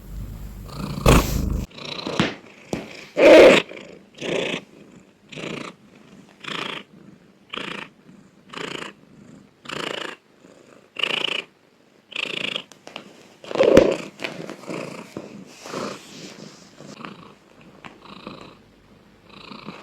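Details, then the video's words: Loud purring from a domestic cat, coming in uneven breathy bursts roughly every second, some rougher and stronger than others, with a few sharp clicks. "Cat sound part 3 || Cat purring loudly ||Suara kucing mendengkur"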